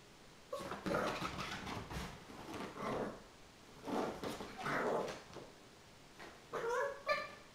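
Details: Chinese Crested puppy Mogge, 15 weeks old, tearing around wildly after being bathed; short harmonic yips and whiny growling bursts come in three clusters, with scrabbling paws and bumps between them.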